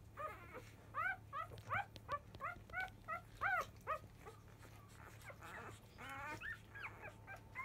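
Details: Labrador Retriever puppies, five days old, litter of 2017 JFA grand champion biscuit, squalling as feeding begins; quick run of short rising yelps, nearly three per second, then softer warbling squeaks and rustling against a low hum.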